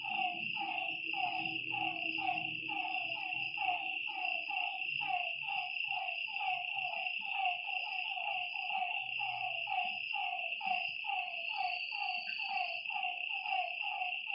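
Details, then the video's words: Frogs calling at night beside a lake: a dense chorus of short, downward-sliding notes about once a second from several overlapping callers, over a steady high insect trill and faint low rumbling. "Lakeside night creatures and frog sounds"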